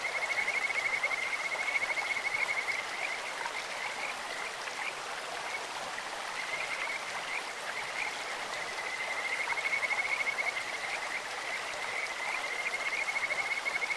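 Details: Kajika frogs singing from a clear stream: two long bouts of fast, even, high-pitched trilling, the first near the start and another around ten seconds, separated by quieter stretches, with continuous splashing water beneath.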